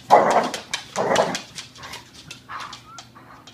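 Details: Ramona, a Border Collie, growls and grumbles while tugging at and attacking her rope indoors; two loud rough bursts then softer whining growls, with a person repeatedly saying give me that.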